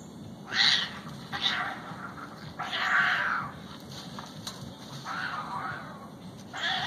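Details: Fighting cats trade a series of harsh, screeching yowls, about five bursts in seven seconds, some short and sharp, others drawn out and wavering, with a faint low rumble underneath.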